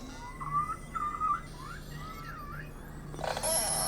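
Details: A beluga's contact call, recorded in summer in the extreme Canadian Arctic: squeaky, wavering whistles rising and falling in pitch. The call is used when a beluga is isolated from the group and links mothers and calves, and a reply follows.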